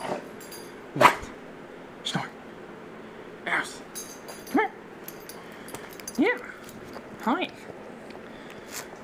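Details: Dog being cuddled, giving a series of high, whining whimpers that bend upward and fall, about six short calls spaced one to two seconds apart over a quiet indoor background.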